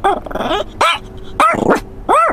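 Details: Pet dog crying and upset, giving loud arched yelping cries in three bursts with short gaps, each call rising then falling, with a softer whining tone between them.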